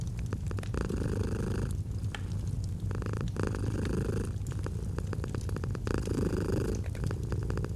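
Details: A pet cat purrs steadily, a low vibrating drone that pulses with alternating inhale and exhale phases, while fireplace crackles click and pop in the background.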